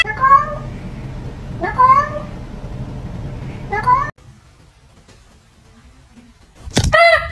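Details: Pet cat meowing three times in a row, each call a short, harmonic, rising-then-falling meow about two seconds apart, then a pause and one louder, abrupt call at the end, with people talking.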